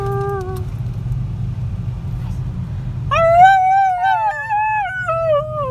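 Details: In a car on a Russian road in Ekaterinburg, 26 January 2018, one-and-a-half-year-old Husky Hasya joins singing to the radio. A short note and engine hum come first, then a sustained, gently falling howl with wavering pitch.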